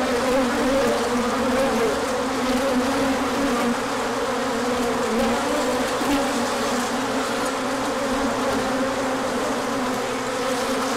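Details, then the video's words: Crowd of bees making an orientation flight when the sun appears after a chilly stretch, March 2024; steady dense hum of many wings, slightly fluctuating, with no other clear sounds. "Large Orientation Flight."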